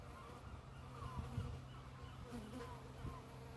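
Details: Syrphus hoverfly in Scotland making a strange noise as it lands: a steady, low droning hum with a fainter higher overtone held through the whole moment, with brief soft murmurs over it.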